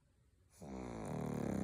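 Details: Pug snoring indoors: after half a second of quiet, a steady low rumbling snore begins and holds, growing slightly louder with a fast fluttering rattle to the end.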